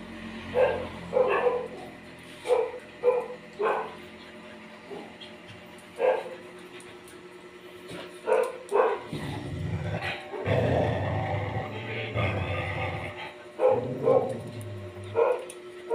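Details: Dog barking in short, sharp bursts, single and paired woofs spread across the clip, with a stretch of low rumbling noise in the middle.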